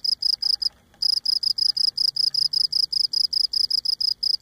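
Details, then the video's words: A Cape Cod cricket sings at close range, legs rubbing on its abdomen, giving evenly spaced high-pitched chirps about three per second after one short pause near the start. "Cape Cod Cricket Singing Close up"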